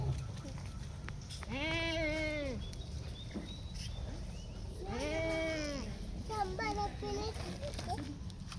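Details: One-month-old Holstein Friesian heifer calf being reared on a dairy farm, held by people while being fed. It gives two drawn-out, harmonic moos, each about a second long, with a fainter call near the end and people talking throughout.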